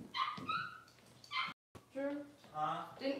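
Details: Six-week-old Cavalier King Charles Spaniel puppies handled indoors while being dewormed and having their toenails trimmed; high, thin whines and yelps with stacked overtones come in short bursts, some gliding upward, over steady human talking throughout.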